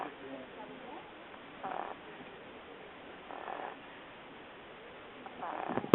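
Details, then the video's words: Sleeping dog snoring on a very hot day: three harsh, rasping breaths roughly two seconds apart, ending in a sharp click. "The Snoring Dog"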